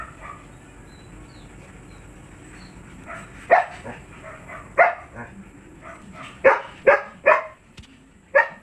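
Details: Kennel Siberian Husky, a stud dog, barking in a loose series; quiet opening seconds, then loud harsh barks arrive about every half second to second, growing denser toward the end over a faint constant high-pitched hum.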